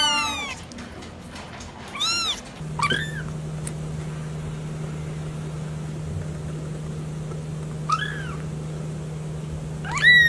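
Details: Kitten meowing in short, scattered calls: a rising-falling meow near two seconds, another at three, then more near eight and ten seconds, over a steady low hum and faint background noise.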